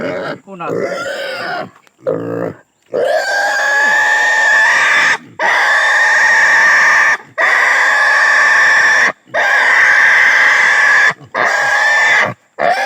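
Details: Native pig under castration screaming: a few short cries, then long sustained shrill squeals of about two seconds each, evenly broken by quick intakes of breath.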